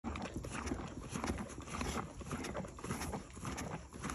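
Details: A Morgan mare chewing grain, with steady, crunchy, grinding bites at a little under two per second.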